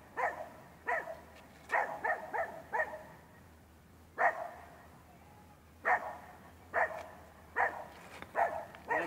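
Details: Rough Collie puppy Manakel Lakefield Talking Blues during training, recorded 13 April 2015: short sharp barks in irregular bursts, some doubled or tripled, with quiet pauses between and a low steady hum underneath.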